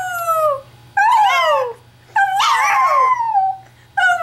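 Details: A Chihuahua, prompted by its owner to howl, gives high, wavering howls that bend up and then slide down, repeated in bursts.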